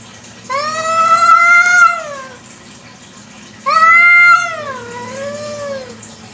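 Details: Village cat (kucing kampung) at night: two loud drawn-out meows about three seconds apart, each rising and then falling, the second ending in a wavering downward tail, over a faint steady low hum.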